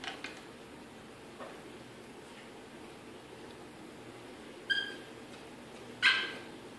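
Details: Pet Yorkshire Terrier Diesel is kept behind a baby gate indoors in Maryland and is frantic to reach Jazmin, his Pitbull sister. Two short, high yips come about a second and a half apart after quiet whining.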